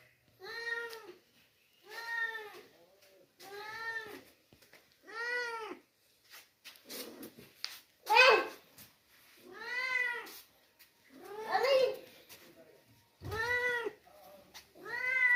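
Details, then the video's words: Stray kitten brought home and fed milk meows persistently, about a dozen tonal arched cries at irregular intervals of one to two seconds, some harsher and louder, with occasional knocks and handling noise. "બિલાડી નુ બચુ આયુ રખડતુ ભખડતુ અમે તેને સેવા કરી દૂધ પાયુ"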